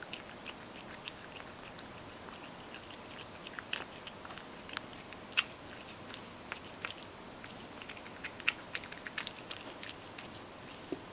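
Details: Mojio, a Ragdoll cat, eagerly eats dry food that was crushed in a mill mixer and softened with hot water. Quick, crisp clicks and soft smacks come at irregular intervals, with a few louder crunches.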